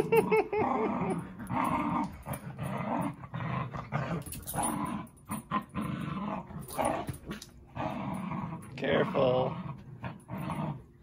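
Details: Zuko and Izzy, two dogs in a play session, growl almost nonstop: throaty, rasping rumbles rise and fall in uneven surges over about eleven seconds, with occasional speech in the background.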